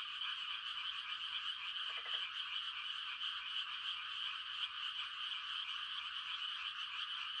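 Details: Frog chorus on a quiet country night at rice-planting time, frogs calling to mate: an unbroken high-pitched trilling wall of sound, broken by one brief low rattling croak around two seconds in.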